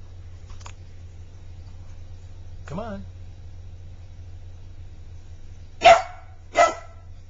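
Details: Magic, a Border Collie puppy, playing with his toy hedgehog indoors: a faint short yelp, then a rising whiny squeal, followed by two loud sharp barks about 0.7 seconds apart over a steady low hum.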